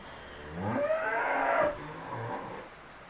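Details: Holstein Friesian cow at Humayra Dairy Farm, due to calve for the first time, gives one harmonic moo lasting about a second that rises and then holds steady, followed by softer, lower lowing.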